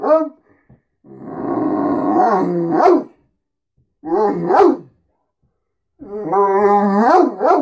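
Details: Beacon, a Great Dane who does this every morning wanting food and attention, gives three growly, moaning phrases, each ending in an upward yip, with short silences between them.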